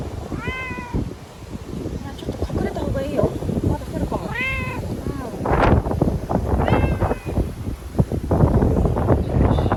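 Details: Timid ear-tipped sakura cat crying and thrashing after being caught for typhoon shelter in a bathroom, Okinawa, September 2020; four or five plaintive, quavering meows spaced a second or two apart over rattling and a woman's voice.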